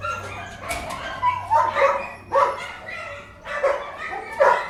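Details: Indoor kennel dogs give loud, resonant barks in separate clusters about a second apart. A low steady hum runs underneath.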